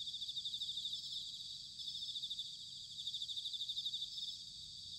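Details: Several bell crickets call together on an autumn night in Sanuki, Chiba, Japan, making a continuous high, tinkling pulsed ringing with a faint low hum of distant background noise underneath.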